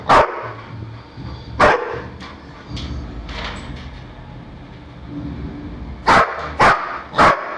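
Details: Pet dog barking while chasing balloons around a house indoors: sharp loud barks near the start, again around 1.6 seconds, then a quick run of three at the end, with soft thuds and rustling between.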